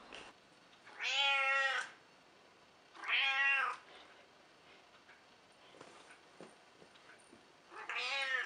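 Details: Elderly pet cat Mitsy, around 14 years old and grumpy with visitors, gives three loud strained meows about two seconds apart, each arched in pitch, with faint rustling and room noise between.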